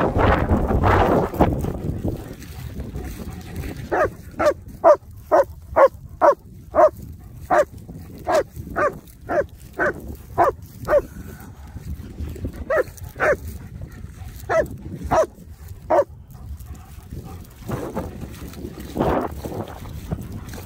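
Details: Nico and Zeeva, German Shepherds playing wet and muddy on a Sunday, bark in a long quick series of sharp, short barks through the middle, with breathy noise and rustling at the start and end.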